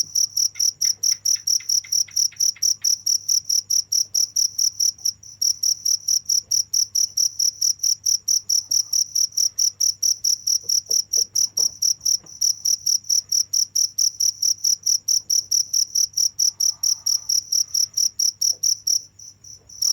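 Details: Cricket chirping without pause, a steady stream of sharp high chirps repeated about four times a second, each pulse bright and ringing, with a brief gap near five seconds and a softer stretch at the very end.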